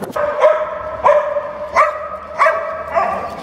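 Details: Dog in a training walk in Genoa, Italy, where an AmStaff and a Staffordshire bull terrier are being trained: five tonal, whiny yelps about every 0.65 seconds, with a trainer speaking Italian around them.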